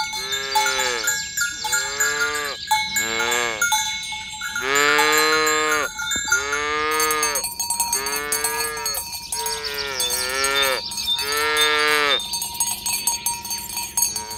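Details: Herd of tame cows driven toward the pen in the morning along village roads, mooing to call the others together; a long series of higher, fairly short moos from several animals, cowbells constantly clanking.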